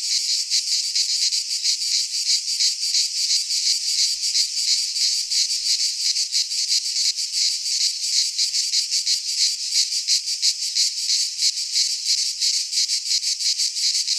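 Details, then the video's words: Greek pine forest cicadas in midsummer, steady shrill buzzing with fine rapid pulsations throughout, loud and unbroken, forming a dense insect wall of sound. "Cicadas singing in midsummer - Nature sounds from the Greek fauna - Sounds of cicadas"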